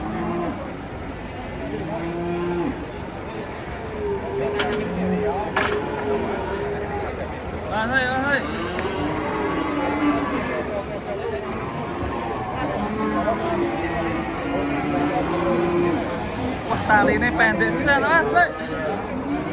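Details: Giant cattle, three of them, agitated while being unloaded from a truck at a market; repeated deep, drawn-out moos rising then falling, several animals calling in turn over a background of crowd talk.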